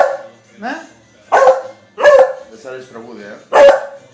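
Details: Female beagle giving loud, ringing barks about once a second, three strong ones, with softer whining, yelping sounds between them.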